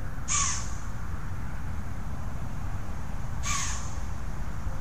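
A deer gives two sharp, harsh barks about three seconds apart over a low background rumble.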